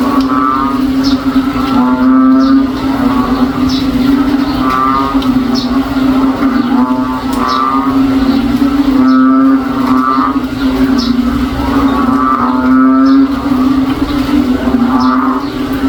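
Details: Backyard frogs on a rainy day, said to sound like a cow, call all day: a constant deep hum underlies repeated grating, ribbed pulses that return every one to two seconds.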